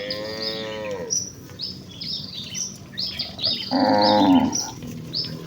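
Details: Rural village cattle hurrying joyfully toward their pen: one long, falling moo opens, a second strong bellow follows about three seconds later, while birds twitter continuously behind.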